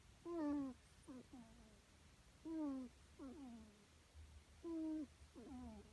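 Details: Squeaky snores from a rescued kitten: a drawn-out high nasal tone and then several brief falling chirps, recurring at a steady two-second rhythm with no other sounds.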